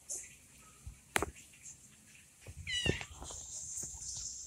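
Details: High, thin meow from an orange kitten left by its mother, rising then falling, among scattered taps and knocks and a faint hiss.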